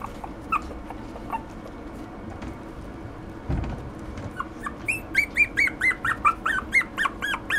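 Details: Poodle x Maltese mix dog: after a few seconds of faint room noise and a soft thump, a quick burst of sharp, high-pitched yips begins, bending up and down, roughly two to three per second until the end.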